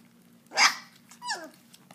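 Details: German Shepherd puppies indoors, eating raw meat for the first time: a sharp, noisy bark-like burst, then after a brief pause a shorter whine that slides downward in pitch, over a steady low hum.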